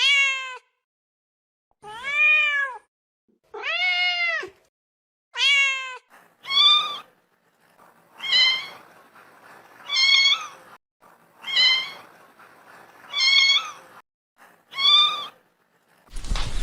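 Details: Kitten meowing during play, a regular run of about ten clear harmonic meows, each arched and rising then falling, spaced roughly every one and a half to two seconds in a quiet room.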